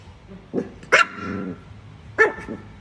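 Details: A pet Chihuahua directs two loud, clipped barks at a cat, a short moment apart, with a faint low murmur between them.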